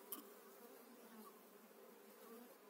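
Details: Honey bee colony moved into its own hive in spring 2018; a low steady drone of many bees with a single sharp tap near the start.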